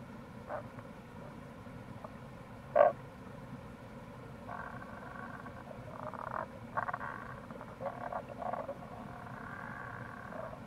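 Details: In April near a gorge on the Kamo River in Itoshima, Fukuoka, Japan, wild Tago's brown frogs give a single sharp note, then several rapid grating pulse trains in clusters, set against a constant low rush of stream water.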